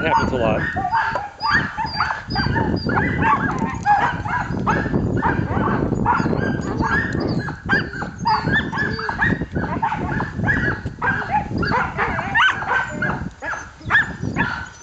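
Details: Team of Samoyeds barking and yelping excitedly together as a 20-mile dryland carting run begins, in January cold of 10°F with wind; a continuous overlapping din of barks, with human voices mixed in.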